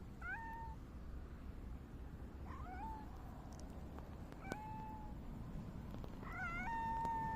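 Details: Grey tabby cat meowing on 29 August 2024 while rubbing against someone: four short meows over about seven seconds, each rising and then holding level, with a quiet indoor background.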